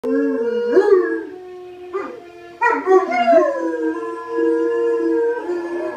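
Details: English Mastiffs howling together, long sustained tonal howls with steady and wavering pitch, overlapping voices rising and sliding, a brief break before a louder renewed chorus.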